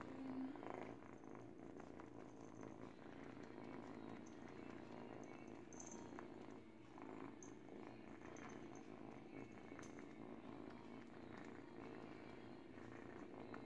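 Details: Continuous low purring from an 8 week old kitten as it teethes on a baby blanket, the rumble even and unbroken, overlaid by faint rustling and small chewing clicks.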